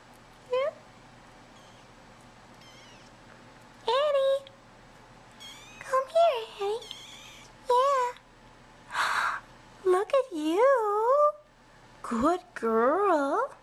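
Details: Several bottle-fed kittens, brothers and a shy little sister, crawling out of their nursery tent at dinnertime; a rapid series of squeaky, bending meows, some overlapping, mixed with a woman's soft encouraging talk.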